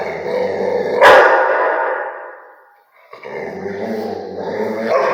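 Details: Barking Rottweiler: a sharp, loud bark with a rough, growly tail, a brief quiet gap, then a second long, rasping, throaty bark that carries on to the end.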